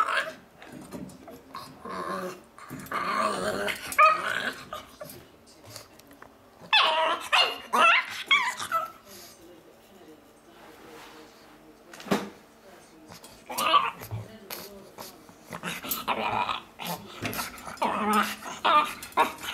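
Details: Miles, a pug, makes monkey-like noises: bursts of strained, wavering growls and yips with harmonic squeals, arriving in irregular clusters separated by quieter gaps.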